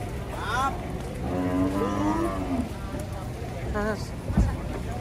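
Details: Giant cattle being unloaded from a truck ahead of Eid al-Adha, one giving a drawn-out, nasal moo over a steady background of music and crowd noise, followed by a shorter second low call.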